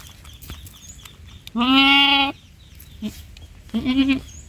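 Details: Baby goat letting out a long, steady nasal bleat, then a brief soft note and a shorter wavering bleat; low background rumble throughout.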